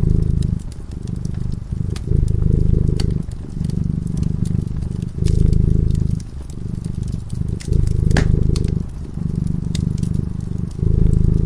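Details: A cat purrs while sleeping in front of a crackling fireplace: a deep, steady rumble swelling and easing in breaths roughly every second and a half, with sharp fire crackles and pops scattered over it.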